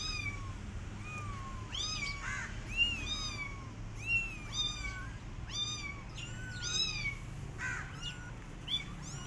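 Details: Rescue kittens left alone, their mother cat not feeding them, crying with many high, thin meows that rise and fall in quick overlapping bursts, several callers at once, over a low rumbling background hum.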